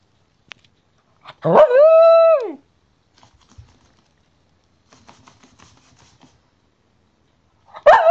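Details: A Cairn Terrier gives one drawn-out, tonal yelping bark lasting about a second, held steady and then falling in pitch, followed by faint rustling and a second sharp cry right at the end.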